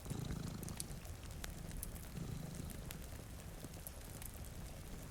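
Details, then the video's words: Low, grainy purr from two cats asleep in front of a rainy window, a couple of soft rumbling swells over steady rain hiss and scattered crackles from a fire. "Purring Cat"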